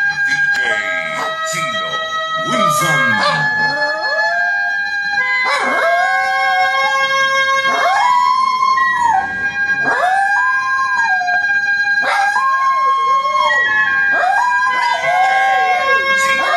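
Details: Pet poodles singing along like wolves: long wavering howls that rise, hold and fall, repeated in bursts every two to three seconds, several voices overlapping, over steady sustained tones in the background.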